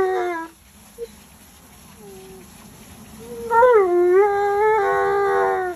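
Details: Tonka, an Alaskan Malamute, yells and complains while being bathed. A brief harmonic howl opens, then quiet, then a long, wavering, whining howl with a rising and falling pitch.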